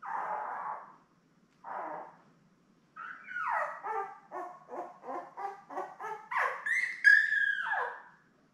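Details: Newborn Labrador Retriever puppies, a litter of seven born May 24, 2021, with their mother Belle on a live puppy cam: two soft low whimpers, then a rapid run of rising and falling squeals ending in a longer high whine.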